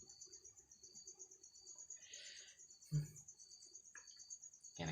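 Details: Unidentified insect trapped in a bottle indoors, asking to be let out: a steady high shrill hum with fast pulsing, masked by low talking, a thump and handling noise near the end.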